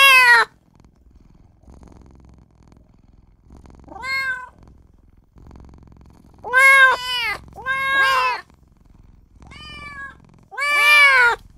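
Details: A tiny newborn kitten crying for its mother and its owner, with irregular, high meows, some arched and doubled in quick succession, separated by quiet stretches of low rumbling.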